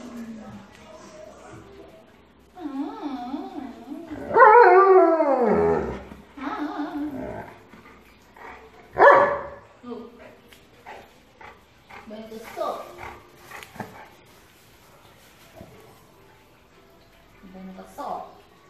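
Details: Family dog, an Alaskan Malamute, joins people singing as a choir; quavering, undulating howls rise and fall, a loud burst near the middle, then scattered short yips, voices and household noises.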